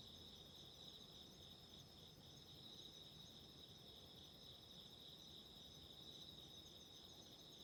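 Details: Continuous shrill drone of autumn insects, offered for relaxing and sleep beside a candle flame. Two bright, even tones hold without pause, and soft low-pitched crackle and rumble fill the background.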